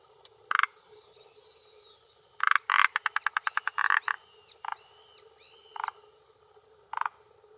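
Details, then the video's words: Male Forest Green Tree Frog calling with throat vocal sac at a hillside pond shore in Japan, late afternoon in early June, claiming territory and attracting females: single harsh croaks, then a rapid run of about ten clicking pulses, with whistled bird song between. "Croaking Male of Forest Green Tree Frog"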